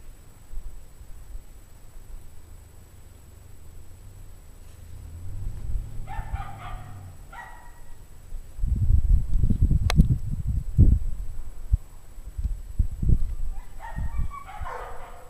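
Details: Dogs in a pack bark on a cold January evening in 2009, at 17 degrees Fahrenheit, 5:00 PM, cause unknown. Short clusters of sharp barks come in two bouts, separated by heavy low rumbling and thumping.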